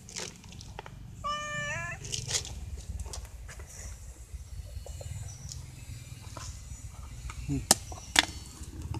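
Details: Stray cat, one of three, meowing to beg for the dry food it knows will be brought. A single arched, harmonic-rich meow sounds early on, then scattered sharp clicks and taps over a steady low hum.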